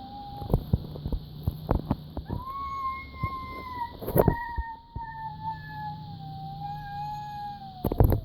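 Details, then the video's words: Domestic cat's odd vocalisation: a near-continuous thin, whining tone lasting most of eight seconds, stepping up once, then sagging slowly lower. Sharp taps and clicks, with a steady background hum. "My cat eddie makes this weird noise"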